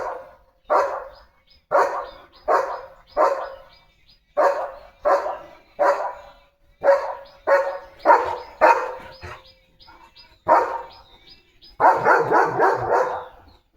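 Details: German Shepherd named Leo, a pet dog, barks repeatedly ahead of opening a box meant for his health: rough, mid-pitched barks roughly one per second, with a denser, longer burst of barking at the close.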